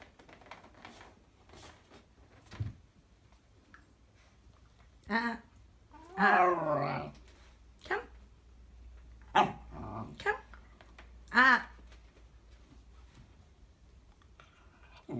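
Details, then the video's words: Whippet puppy indoors, grumbling in a disgruntled way after being told not to chew. Short wavering whiny growls come in scattered bursts, the longest around six seconds in, with quiet gaps, soft thumps and brief speech between them. "Whippet puppy Link's reaction when told he's not allowed to chew."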